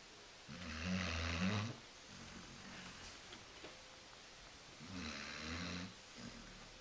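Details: Lazy female Basset Hound sleeping on a couch indoors, snoring loudly: two rough, low, rumbling inhalations about four seconds apart, each followed by a softer wheezy exhale.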